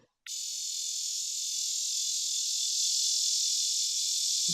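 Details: A lyric cicada, a cicada found in Tennessee and other states, gives a loud, steady, high buzzing drone that holds unbroken and swells slightly.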